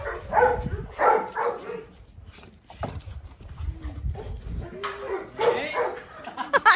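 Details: Kennel dogs, a Presa Canario female, a Rottweiler and a Staffordshire, each with its own aim: deep barks early, scattered whines and yelps later, with people talking and laughing over them.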